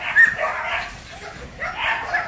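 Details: During a training session at a Ho Chi Minh City kennel, a 47 kg Belgian Malinois gives two muffled bursts of barking, one at the start and another about a second and a half later, separated by a quiet gap.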